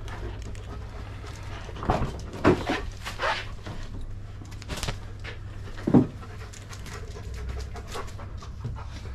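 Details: German Shepherd dog on its way to the park, panting in breathy, uneven bursts with a couple of short whimpering squeaks, over a steady low rumble like a running vehicle.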